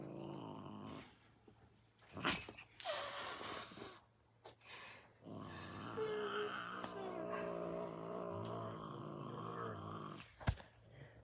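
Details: Domestic cat, upset after the camera is put down, lets out harsh, breathy hiss bursts early on, then a long, wavering low growl, while a person speaks softly and handling knocks sound.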